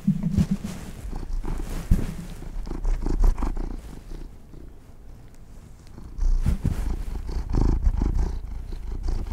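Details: Pampered pet cats eating treats give a strong, low, throbbing purr, loudest at the start and again in the second half, with a quieter dip in the middle and scattered crackly chewing sounds.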